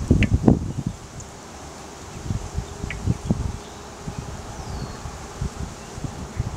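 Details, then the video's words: Honey bee swarm massed on a small tree branch: a faint, steady low hum runs beneath irregular bursts of rustling, with leaf and wind noise dominating the foreground. "Honey Bee Swarm"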